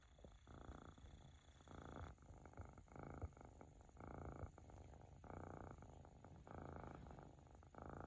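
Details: A male flame point Siberian cat purrs, or possibly snores, in a deep, rumbling rhythm that swells with each breath.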